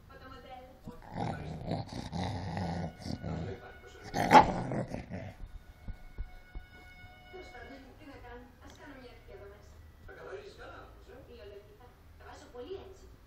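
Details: An angry Cocker Spaniel in a fight growls in a rough, rumbling burst, with a sharp snap before people talk.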